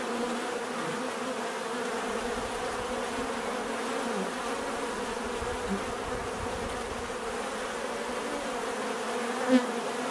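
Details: Natural buzzing of many bees, an even humming drone holding steady throughout, with a single bee passing close and loud near the end.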